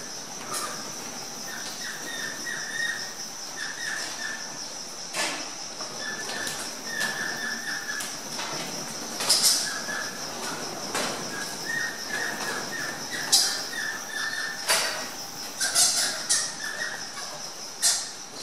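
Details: Captive Egyptian fruit bats crowd a food bowl in the walk-through Mahajanga house bat cave at Parc Merveilleux, ignoring whoever is in the way. Bursts of rapid squeaky chittering and sharp clicks repeat over a constant thin high-pitched hum.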